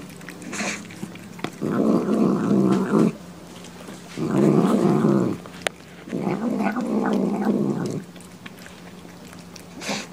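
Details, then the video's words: Domestic cat vocalizing while eating, from a compilation of cats and kittens saying yum yum. Three rough, buzzy growl-like bursts of about one to two seconds each, separated by quieter chewing pauses, in a small indoor room. "面白い猫と子猫を食べながら鳴きながらYUM YUM YUMを言って"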